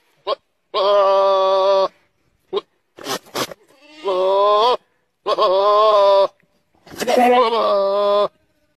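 A goat gives loud, drawn-out screaming bleats, each about a second long, with harsh human-like strain.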